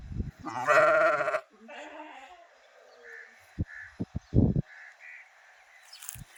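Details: Sheep bleating: a loud, harsh, trembling bleat of about one second, followed by a fainter, shorter bleat, then quiet with a few low knocks.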